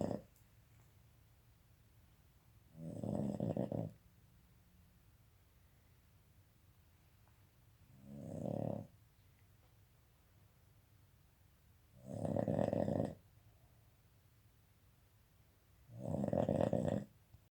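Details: A Boston Terrier snores loudly during Covid lockdown, each rasping, rumbling breath coming roughly every four seconds.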